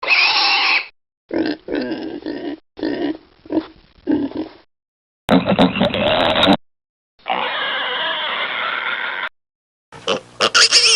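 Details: Pigs, with piglets suckling: a spliced series of short, rhythmic low grunts in clusters separated by silent gaps, then longer harsh, noisy squealing passages and a shrill burst at the end.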